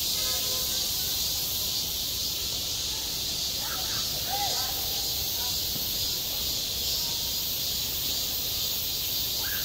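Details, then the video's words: Cicadas droning at a school sports ground in midsummer, self-recorded: a constant high sizzling wall of sound, with faint bird chirps and a short curling call midway. "한 여름 운동장에서 매미가 울고 있다 - 여름의 소리, 학교 종소리, 매미 울음소리"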